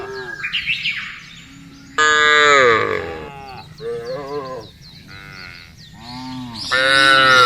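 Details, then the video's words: Cows in a field giving several moos of varied length, some short and wavering, others long and loud, with high chirping sounds in the background between calls. "FUNNY SOUND OF COWS IN THE FIELD..SUARA SAPI LUCU"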